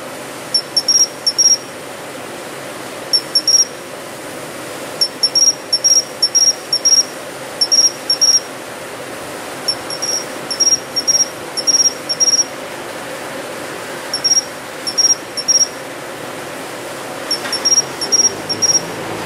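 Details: A Japanese pine cricket calls from planted shrubbery in early autumn. Its song is a series of crisp, high-pitched chirps grouped in twos, threes and fours, with a cluster every couple of seconds, against quiet background hiss.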